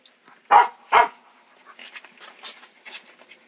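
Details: Two loud, quick puppy barks back to back, followed by soft scraping and faint breathy sounds.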